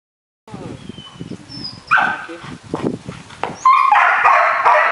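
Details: Four-month-old Belgian Malinois puppy barking: soft low sounds at first, then a loud bright bark near two seconds and a sustained harsh burst over the final second.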